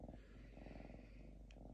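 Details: Lynx named Diva, kept in a home, unusually calm, purring while resting and shredding paper: a low, steady, pulsed rumble running throughout, with a brief faint click near the end.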